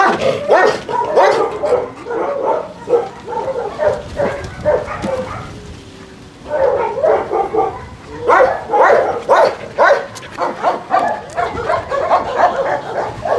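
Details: Several dogs at a husky kennel, visited during recall training from free play, bark in dense overlapping bursts, rapid and irregular, with a short lull midway before the chorus resumes.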